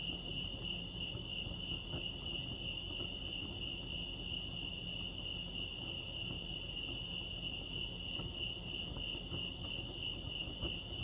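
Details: Lake Arrowhead crickets in California give a continuous shrill chirping, beating about three times a second and never pausing, over a low, muffled ambient rumble.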